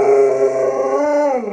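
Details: Luoluo, a pet Alaskan Malamute that rushed in to protect the puppies, gives a sustained tonal howl lasting about a second and a half, holding steady before bending slightly upward and then sliding down.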